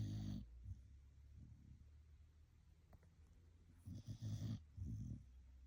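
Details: Sleeping Blue Heeler dog snoring: low rough rumbles at the start and a longer burst of snorting breaths near the end, with a quiet low hum in between.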